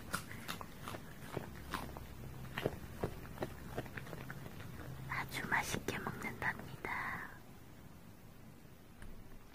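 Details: Ttalgi (Strawberry), a female Bichon Frise puppy born March 2019, crunches a carrot snack indoors; sharp, dry crunching clicks repeat roughly every third of a second under soft whispered speech in a small quiet room.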